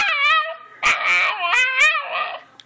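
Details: Pet dog Miki answers back in a quick sequence of wavering, harmonic whines and yips, the pitch sliding up and down across about three short connected phrases.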